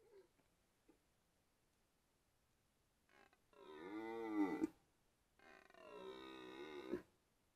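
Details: Red deer stag roaring during the 2023 rut in the Białowieża Forest, Poland, a wounded stag noted; two long harmonic bellows, the second steadier, each about one and a half seconds, separated by quiet.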